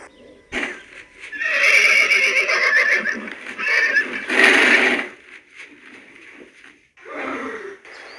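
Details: Horse giving a long, loud, rough whinny that rises and falls in waves from about one to five seconds, then a shorter call near seven seconds; a brief knock opens the recording.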